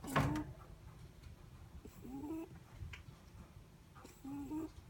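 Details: Netherland Dwarf rabbit sleeping, a sharp knock opening the recording, then whistle-like snores rising in pitch, repeated about every two seconds, low hum behind.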